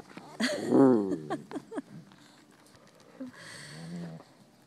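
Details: Playing European Basset Hounds at Bellingham Bassets, recorded March 23, 2013: a loud bark opens into a harmonic, bawling tone lasting about half a second, followed by fainter yaps and shuffling noise.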